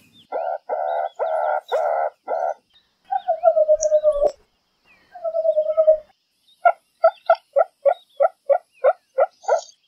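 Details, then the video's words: Meerkat calling in a series of nasal, harmonic chirps: first several steady buzzy notes, then two drawn-out falling whines, then a quick run of short evenly spaced peeps, with no other sounds. "Real Meerkat Sounds"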